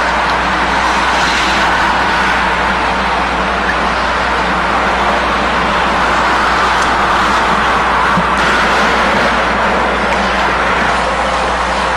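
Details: Dense, steady road-traffic roar with a constant low hum, and no animal voice.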